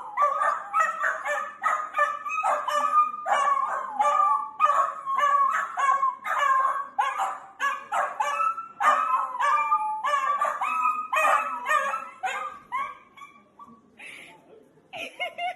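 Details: Dachshund puppies playing: a long, rapid run of ringing yelps and yips, close to two per second, that carries on for about thirteen seconds before breaking into a few scattered calls.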